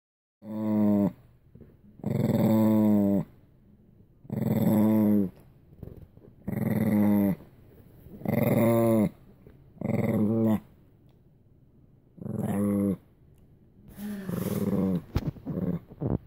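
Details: An angry Shih Tzu growls in low, rumbling bursts of about a second, repeated every couple of seconds.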